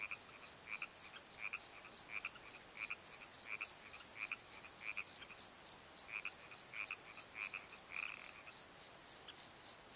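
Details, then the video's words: Crickets calling at night in a valley bottom near a tree, steady high chirps repeated about three or four times a second, with softer lower pulsed croaking calls scattered through the background. "Crickets and Croaks! Pozo Night Tree"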